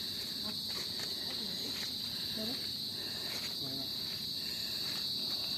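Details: A steady, piercing insect drone holds one high pitch without a break, heard from a bridge by a mangrove, with faint low voices underneath.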